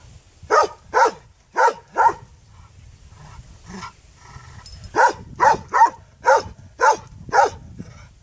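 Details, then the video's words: A dog barks repeatedly, roughly two barks per second in uneven runs, with a brief gap midway; light background hum throughout. "Qeni duke Lehur The dog is barking"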